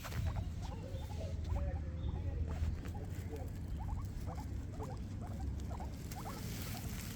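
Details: Two guinea pigs eating grass in a morning routine: a steady soft crunching and rustling patter of munching.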